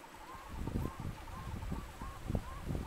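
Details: Yellow-bellied toads in amplexus at a temporary breeding puddle in a machinery rut, Valea Mare stream, Apuseni Natural Park, Romania, 16 July 2021; soft mellow upswept notes repeat about every half second over low rumbling wind and handling noise.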